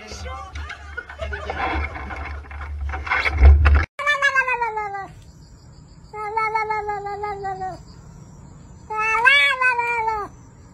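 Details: Domestic cat giving three long, drawn-out meows, each about one to one and a half seconds, steady and slightly falling at the ends, richly harmonic. A noisy, jumbled passage with music fills the first four seconds.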